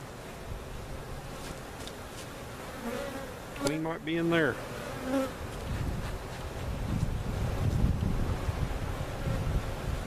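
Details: Swarm of honey bees removed from a cutout, relocated at Jerome Bee Farm in Central Oklahoma; a steady low hum throughout, broken around the middle by a short burst of voiced, harmonic human sound.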